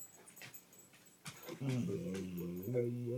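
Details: A five-year-old female American Mastiff indoors in the morning, waking her owner to be let out to pee; after quiet rustling, a drawn-out, wavering, moaning whine-talk with layered tones, while a woman asks what she wants.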